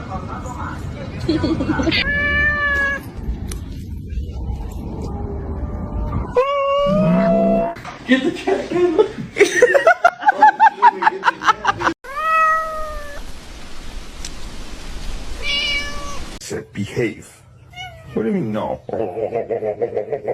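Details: Domestic cat meowing several times in a household: short arched meows that rise then fall, spaced a few seconds apart, over people talking and some laughter.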